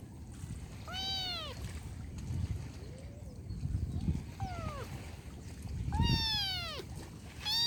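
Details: Kitten giving several high, falling meows spaced a second or more apart, a few of them fainter, over a steady low rumbling background noise.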